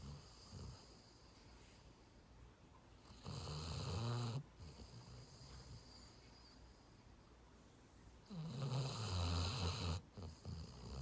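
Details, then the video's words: A dozing dog gives two long rattling snores about five seconds apart, each low and rumbling with a rough buzzy edge, separated by quiet breathing. "강아지 코골이 드르렁 드르렁"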